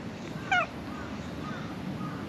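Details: Single short meow from a black cat at a shrine that came out from beneath the floor to be stroked, a brief bending harmonic cry over steady low outdoor rumble.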